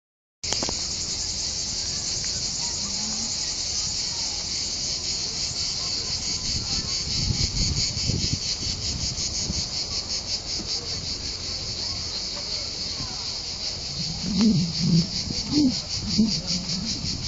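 Crickets trill in a dense, steady, high-pitched chorus that runs without a break.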